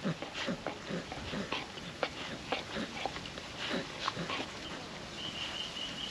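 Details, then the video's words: Female puppy lapping wet food from a food trapper mat on a windy day, rapid moist licks and chewing clicks in uneven runs, with a faint thin whistle near the end over low background hiss. "Wet food ASMR dog eating sounds"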